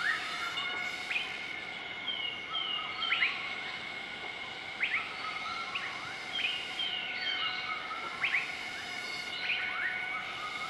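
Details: Morning duet from a group of southern white-cheeked gibbons, Nakai-Nam Theun National Protected Area, central-eastern Laos, 20 March 2014. Many swooping upward whistles and slurred notes repeat through the stretch, layered over steady buzzing insect tones.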